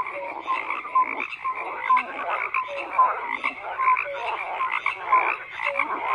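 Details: Group of frogs croaking, raspy pulsing calls with a bright short note popping out roughly once a second over a steady chorus.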